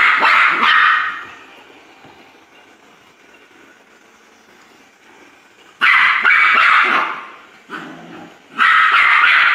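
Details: Poodle barking loudly: an opening bark, a long quiet gap, then a sudden cluster of harsh, bright barks followed by one more near the end.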